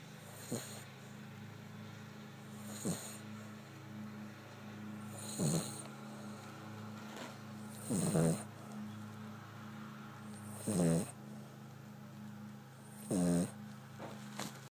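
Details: Cavalier King Charles Spaniel. A Cavalier King Charles Spaniel snores steadily, each breath a low, rattling rasp repeating every two to three seconds. A steady low hum runs underneath throughout.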